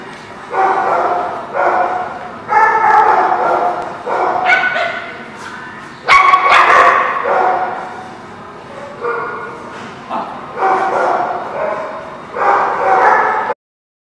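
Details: Dogs barking in a steady series of loud, harsh barks, roughly one burst every second, with a brief clatter midway.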